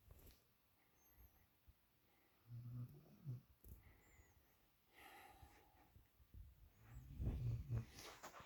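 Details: Female puppy asleep in another dog's usual spot, giving low, rumbling snores in two clear bouts, separated by quieter breathing and a few faint clicks.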